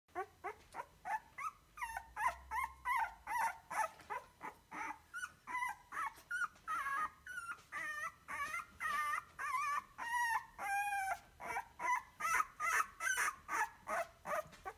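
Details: Rhodesian Ridgeback puppy whining: high, tonal whimpers and squeals repeated in a steady run of short bursts, roughly two to three per second, rising and falling in pitch, with no other clear sounds.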